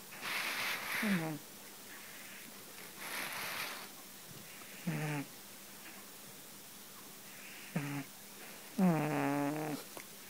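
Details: Domestic cat in deep sleep, snoring: rasping, breathy bursts every two to three seconds, several ending in a low, buzzy voiced rumble. The longest and loudest comes near the end.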